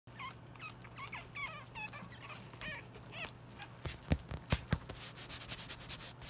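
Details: An English bulldog puppy, raised in South Eastern Kentucky, whines in high, wavering notes, followed by a few sharp knocks.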